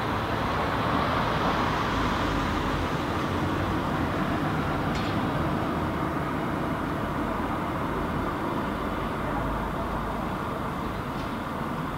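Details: Steady, rumbling vehicle or traffic noise fills the recording throughout, with no animal calls standing out.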